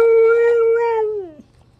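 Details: Siberian Husky howling indoors: one smooth, level, mid-pitched tone held for over a second, then drooping and fading out.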